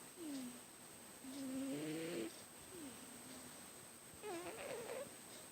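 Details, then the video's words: Loud snoring from a sleeping house cat, each breath giving a nasal whistle that dips in pitch, several breaths within a few seconds, steady background hiss and a faint high-pitched whine. "My cat snores very loud!"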